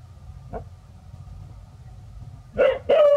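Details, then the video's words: Village dogs Pao and Rank barking seriously at a snake their family came upon: after a faint yelp, two loud, harsh barks burst out in quick succession near the end, over a low steady hum. "Pao & Rank Are Barking Seriously"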